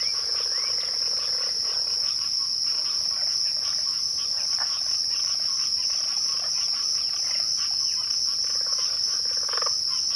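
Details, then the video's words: At twilight, crickets keep up a constant shrill trill at high pitch, joined by scattered short softer chirps and clicks. "twilight crickets"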